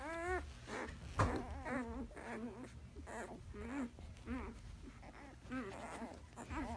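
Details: One-day-old Alaskan Malamute puppies cry in a run of wavering, rising-and-falling whimpers, roughly one every half second, with a sharp knock near the start and a low background hum.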